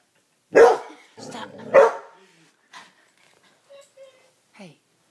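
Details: A pet female coonhound barks at her reflection in a mirror indoors, giving two loud, abrupt, rough barks about a second apart, then falls quiet except for faint soft whimpers; a person's voice scolds her.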